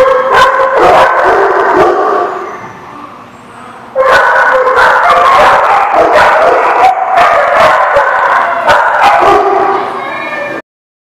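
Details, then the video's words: Dogs in a lot, recorded 23 October 2017, barking loudly and nearly nonstop in overlapping yaps and barks with a brief lull partway through, several voices sounding at once. "The Barking Lot"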